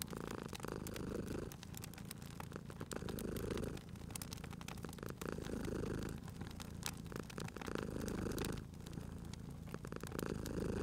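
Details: Cute sleeping cat purring beside a crackling fireplace, a steady low rumbling purr that swells and fades in long breaths about every two to three seconds, with sharp pops and crackles of burning wood throughout.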